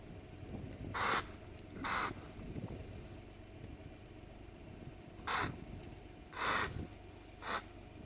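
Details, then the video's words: Impalas fighting along the camp road at Punda Maria in Kruger National Park, giving harsh, broadband bursts, each about half a second long, spaced irregularly over eight seconds, with a low engine-like hum underneath. "Barulho estranho das Impalas"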